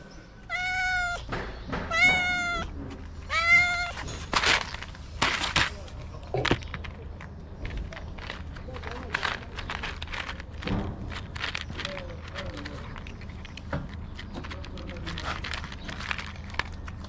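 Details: Stray cat in Morocco meowing loudly for food: three short arched meows in the first four seconds, followed by clicks, rustling and quiet voices in the background.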